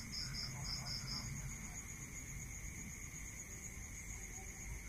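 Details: Night-time cricket chorus in a rural setting: one short burst of quick high pulses at the start, then only the unbroken shrill drone of distant trilling over a soft low hum.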